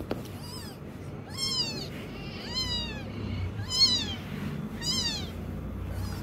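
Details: Rapid high squeaky meows from a kitten learning to walk, about one a second, each bending upward then down, over steady low background noise.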